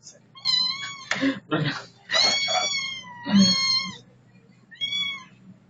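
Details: Domestic cat meowing indoors in a small room: several drawn-out, harmonic meows with slightly falling pitch, mixed with two people talking in Filipino between and over the calls.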